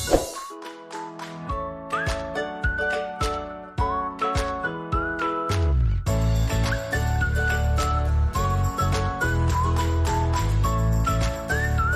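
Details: Only background music is heard, with chiming tones, a whistled melody and a steady bass beat, and no animal calls.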